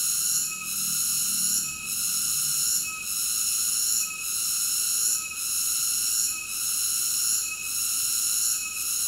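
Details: Cicada singing: a loud, steady, shrill buzz made of stacked high tones that dips briefly about once a second in a regular pulse, with no other clear sounds.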